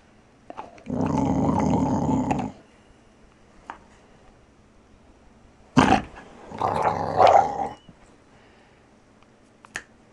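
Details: Playful growling from Archie, a gentle Valley Bulldog of just over three: one steady rough growl close to two seconds long, a sharp snap, then a shorter snarling burst, with quiet between.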